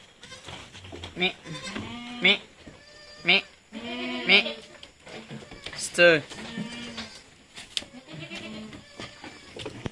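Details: Goat kids being weaned at Terra Grande Farms in San Carlos City, Negros Occidental, Philippines, bleating repeatedly in wavering, harmonic-rich cries, roughly one per second, with overlapping calls from several animals and a human voice in the background.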